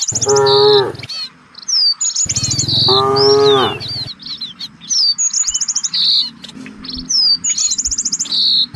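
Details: Village cattle in a herd searching for fresh grass: two long, drawn-out moos, the second rising slightly and then falling, over steady high, quick chirping of small birds throughout.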